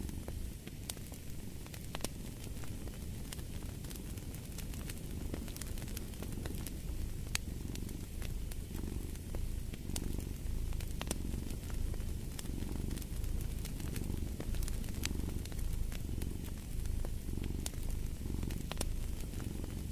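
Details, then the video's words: Low, even purring of a domestic cat, regular breathing pulses roughly once a second throughout, while a fireplace crackles with light snaps in the background of a soothing sleep track. "Purring of a Cat"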